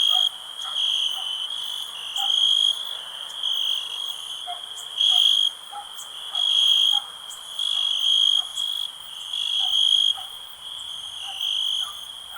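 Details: Cricket chirps as rhythmic bursts of a piercing high-pitched trill over a continuous softer trill, repeating unevenly about every second, while faint brief lower notes sound repeatedly in the background.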